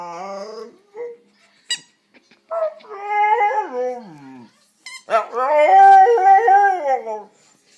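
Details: A domestic dog producing an odd noise: brief whimpers and squeaks, then drawn-out warbling howls that slide up and down, the second louder and sustained for about two seconds.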